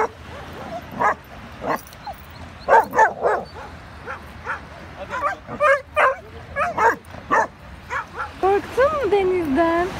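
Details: Pumpkin the Rottweiler puppy, a family pet recorded during its first six months, barks repeatedly in short sharp yaps, roughly three a second at times, ending in drawn-out, wavering whining yelps.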